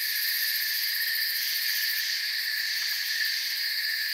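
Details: Crickets chirping in a forest, a dense, steady, high-pitched chorus of overlapping shrill trills that never pauses, layered in several pitch bands, with no other clear sounds.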